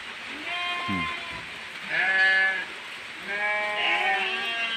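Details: Goats crying for food during heavy rain, several bleats of varying pitch in quick succession mixed with a man's short words and the constant hiss of rainfall.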